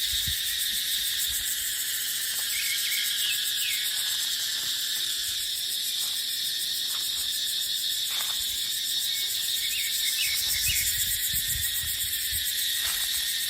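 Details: Cicadas in dry-season dipterocarp woodland keep up a loud, even high shrill with fast pulsation; scattered thin bird chirps, soft clicks, and low wind buffeting near the start and around eleven seconds.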